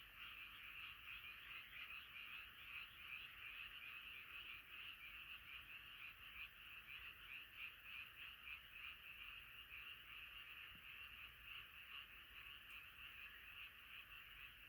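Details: Frog chorus at night, many frogs calling together as a massed choir; a dense, steady wall of overlapping croaks pulsing irregularly about once a second, with no other clear sounds.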